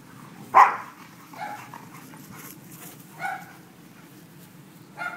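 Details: Playful dogs Leroy and Oscar: a single sharp bark, then three quieter whining yips spaced about two seconds apart against a faint hum.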